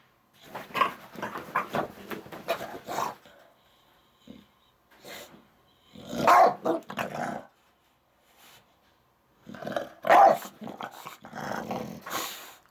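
An English Bulldog grumbles and groans in loud, ragged bursts, sounding upset about something.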